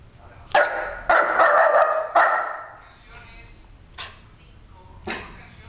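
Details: West Highland White Terrier named Santhiago playing with his bone indoors: a quick run of three loud, ringing barks in the first two seconds, then fainter thumps and a person's voice calling his name.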